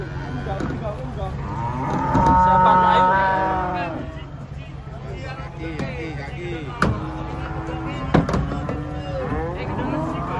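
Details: Giant cattle coming down from a truck in the morning: a long, loud, harmonic moo swells and falls over about two seconds, followed by softer lowing, with people shouting warnings and a steady low engine rumble beneath.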